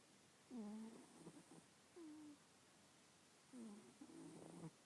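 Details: Callie, a sleeping cat with nasal congestion, snores in a quiet room: three short, high, whistling squeaks on the breath, each followed by soft rasping, spaced a couple of seconds apart.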